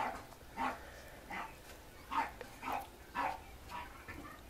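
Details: A 52-day-old female Pomeranian puppy, born 12 February 2015, recorded on 5 April in Mie, Japan, gives short, high yelping yips, repeated about twice a second.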